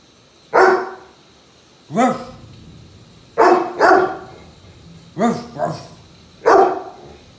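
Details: German Shepherd in a mock battle with its owner, barking loudly in single and double bursts, with short pauses of one to two seconds between them.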